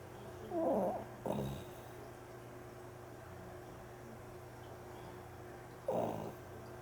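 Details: A sleeping mame Shiba Inu recorded on 12 September 2013 snores in three short rough, nasal bursts, two close together near the start and one after a long quiet pause, over a steady low indoor hum.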